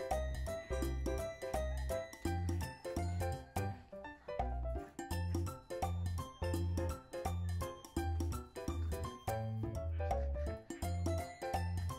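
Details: Rhythmic background music with a steady beat and bright chiming notes, with no animal sound.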